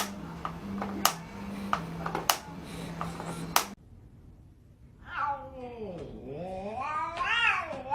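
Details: Cat described as mad, heard after a stretch of voices and clattering household noise, then a single long meow that dips low in the middle and rises again into a strained, wavering wail.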